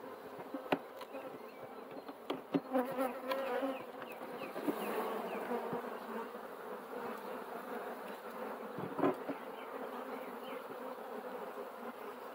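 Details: Bees humming in a dense, steady drone, broad and mid-pitched, with a few sharp clicks and taps early on and a gentle swell in loudness around the middle.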